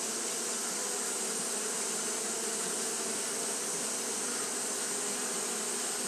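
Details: Fanning Japanese honey bees on a hot day give an even, droning buzz with stacked low tones that never pause, overlaid by a steady high sizzling hiss.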